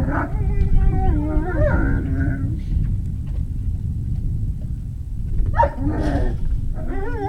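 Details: Great Dane puppies recorded 03-05-2019 between about 17:06 and 18:06, giving high wavering whines and short yips in two bursts, one at the start and one near the end, over a steady low rumbling background.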